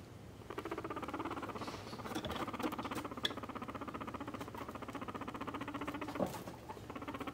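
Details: Tame pet guinea pig being stroked and clearly enjoying it, an animal that comes when called; a steady rapid low rumbling purr, pulsing several times a second, runs through the whole recording indoors.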